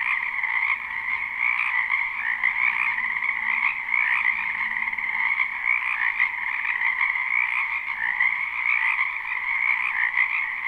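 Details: Spring wetland frogs in full chorus, live and unlooped: countless overlapping croaks merge into a continuous, shimmering trill, holding an even loudness throughout, with only a faint low hum beneath.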